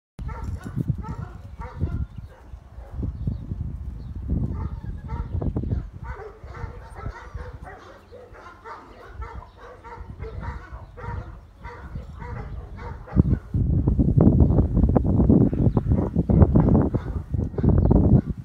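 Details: Saint Bernard puppies playing in a garden in the sunshine, giving a run of short, rough puppy barks and yaps, some bursts denser and louder toward the end, with rustling and scuffling throughout.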